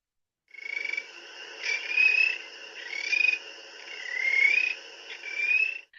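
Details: A spring peeper gives its trill-like call, easily confused with a Western chorus frog's but more musical and higher pitched: high trills, each rising slightly in pitch and repeated every second or so.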